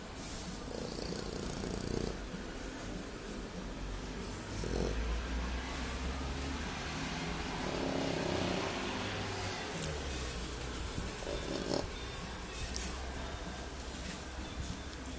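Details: A male English Bulldog snores with a low, rough, pig-like rumble that rises and falls in steady waves.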